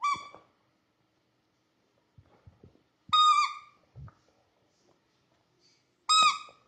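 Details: Labrador Retriever puppy at play, giving three short, high, whistle-like whimpers that dip slightly in pitch, spaced about three seconds apart, with soft thumps and shuffling in between indoors.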